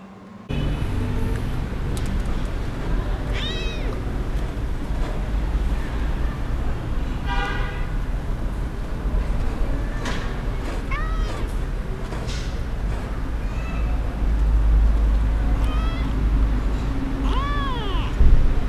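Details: Orphaned kittens rescued from the street, excited while being fed; short, thin, upward-arching meows repeat every few seconds above a heavy low rumble of background noise.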